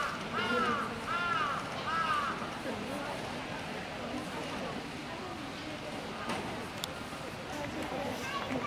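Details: A Japanese macaque playing at Ueno Zoological Gardens, Tokyo, gives three quick, clear, arching calls, each rising then falling, over crowd chatter.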